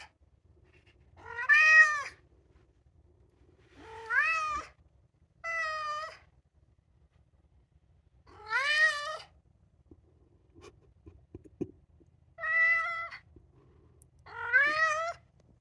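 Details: A two-year-old male polydactyl Maine Coon cat "sings" a string of drawn-out, tuneful meows, each bending up then falling away, apparently asking to go outside.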